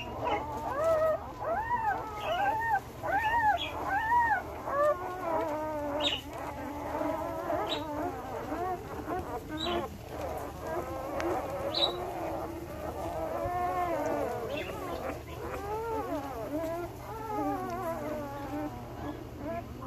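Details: One-week-old male Belgian Malinois puppies born 9/26/2021, a litter squealing and whining together in rising-falling arched cries, several overlapping, with steady low hum behind.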